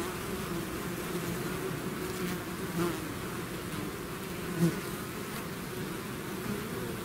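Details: Continuous low hum from a bee swarm emerging from its hive, with a couple of nearby bees briefly buzzing louder as they fly close past, about two seconds apart.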